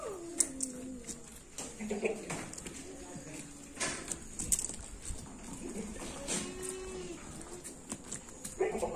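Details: Jamnapari goats, male and female, giving drawn-out bleats that slide downward at the start and again later, mixed with people talking nearby and background hiss.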